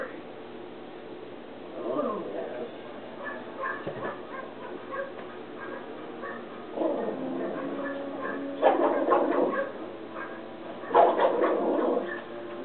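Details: Alice, a Jack Russell Terrier, reacts energetically while watching animal nature shows on PBS television; low whines early on, then sharp barks near the end over a steady background hum of the TV.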